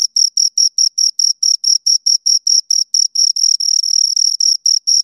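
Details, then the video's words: Crickets, two of them, sounding bright high chirps in a quick regular beat, about four per second, the later bursts blurring together where both overlap; no other noise. "Two Crickets Chirp Sounds"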